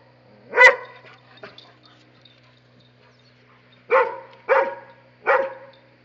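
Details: Dobermann barking at a monkey, giving one loud bark, a faint short sound, a long quiet gap, then three strong barks in quick succession about 0.6 seconds apart over a low hum.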